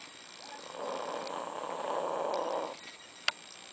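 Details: Snoring from one of two sleeping dogs, Candy and Frank, filmed in their last days: a single rasping, breathy inhalation lasting about two seconds, then a sharp click, all over a faint constant high hum.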